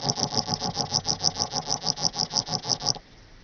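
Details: Small Alpine Bush-cricket from Boltigen, Switzerland, recorded 6 September 2023, producing a quick run of scratchy pulses, around six each second, for three seconds before falling silent, leaving only faint background hiss.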